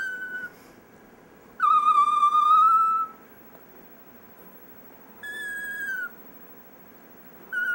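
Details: Dexter the chihuahua "singing" at home: drawn-out tonal howls with steady pitch and strong overtones, one long note of about a second and a half, a shorter falling note, plus brief fragments at each edge, separated by quiet gaps.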